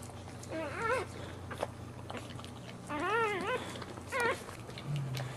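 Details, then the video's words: Boxer puppies being born, giving high, wavering squealing cries in three short bursts over a steady low room hum. "Boxer puppies being born"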